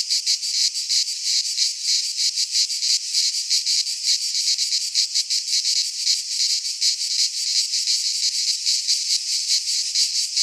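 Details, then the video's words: Cicadas singing in midsummer in a Greek pine forest, a dense, continuous high-pitched buzzing chorus pulsing roughly three times a second, with nothing else audible. "Cicadas singing in midsummer"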